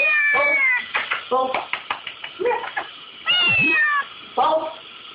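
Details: Kitten indoors crying over a dishwasher, wanting to lick the dishes: a rapid run of short, plaintive meows, some stretched and wavering, mixed with a person talking nearby; slightly muffled, older recording.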